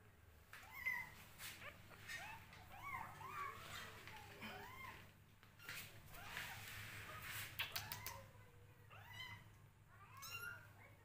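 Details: Hungry kittens fighting over a bottle full of milk: repeated thin, arched mews and squeaks from several kittens, overlapping and irregular, with handling and rustling noises and a low steady hum beneath.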